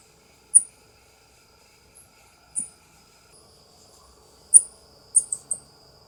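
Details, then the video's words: Ring-tailed coati (Nasua nasua) giving short, very high, thin chirps: single sharp notes spaced about two seconds apart, then a quick cluster of three near the end, over a faint steady high-pitched whine in a quiet background. "SOM DO QUATI"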